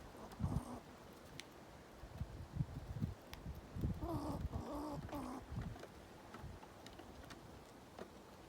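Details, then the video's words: Squirrel Smoky, threatening the others, gives a brief cluster of three or four nasal, wavering tonal notes in mid-clip, surrounded by low thumps and scuffling knocks against a steady hiss. "Squirrel sounds: Smoky intimidating the others"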